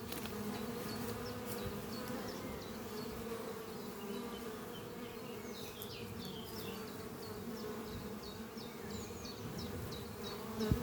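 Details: Many worker honey bees fly around a thriving hive beneath trees on a spring morning, a dense continuous buzzing hum layered with a bird's regular high chirping notes in the background.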